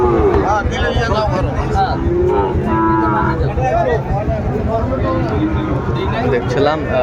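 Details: Sahiwal bull calves for sale at a Dhaka market, Bangladesh, 3 February 2025: several short, bending moos overlapping amid constant human voices and market bustle.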